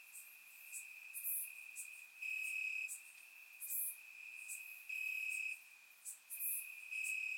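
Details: Bulgarian crickets in grass on a warm summer night, caught on a surround microphone, keep up a continuous shrill trill that grows louder in bursts roughly every two to three seconds, while faint high chips sound at intervals.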